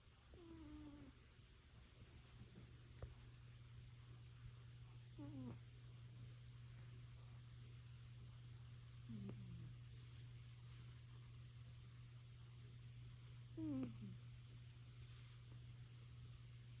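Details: Sleeping Manx cat snoring indoors. Soft nasal snores with a whistling, falling tone recur about every four seconds over a steady low electrical hum.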